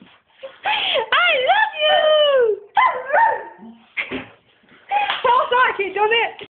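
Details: A female Rottweiler 'sings' in wavering, voice-like howls that slide up and down in pitch.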